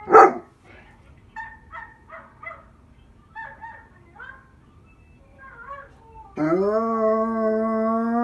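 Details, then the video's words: German Shepherd and related household dogs, a mother and her two sons, vocalising as a group: a loud opening yelp, a run of short yips and broken cries, then a long, steady, sustained howl rich in overtones. "German Shepard howling"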